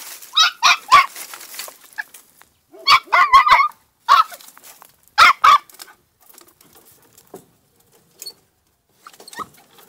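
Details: Two-month-old female Podenco de Cuevas puppy barking in a paddock: clusters of shrill, hoarse yaps in quick doubles and triples, fading to a few faint yelps at the end.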